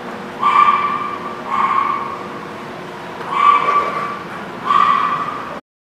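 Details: Dog at The Barking Lot on 10/5/19 giving four drawn-out, tonal, harmonic-rich barks or yips: two close together, a pause of over a second, then two more, over a steady low background rumble.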